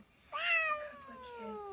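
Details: House cat letting out a long, tonal meow that starts sharply, then slides gradually downward in pitch over more than a second, with a quiet room behind it.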